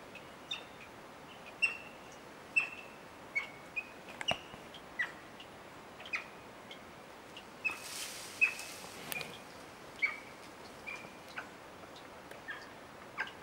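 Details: Capuchin monkey on an unexpected visit: short, sharp chirps repeated about once every second, with occasional soft clicks and a brief burst of hiss midway.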